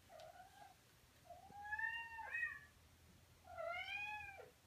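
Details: Male Persian cat indoors, smitten and calling out to a cat seen online: three drawn-out, harmonic meows. Each rises and then falls, the last one loudest and longest, with quiet pauses between them.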